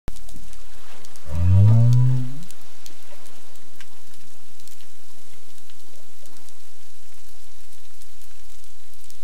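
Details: Southern right whale off Augusta, South West Australia, studied for its acoustic behaviour: a single low, tonal call rising slightly and lasting about a second, followed by steady faint background hiss from the water.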